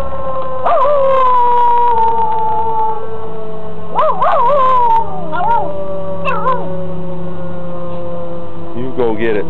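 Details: Pet dog howling along with a tornado siren: a long falling tone, then bursts of wavering, yodel-like rises and dips repeated several times, over the siren's steady drone and low background.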